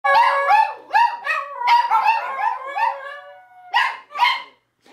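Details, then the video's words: Scooter, a pet dog, howls in response to mouth noises made by a person, his wavering, stepped tones overlapping with yips and barks as other dogs are riled up and join in. "Making a dog howl"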